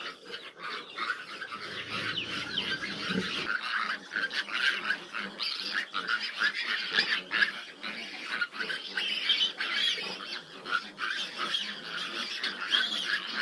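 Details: Fifteen large piglets with a sow that struggles to nurse them; dense, continuous high-pitched squealing and grunting from many piglets, rising and falling throughout, with a brief low rumble early on.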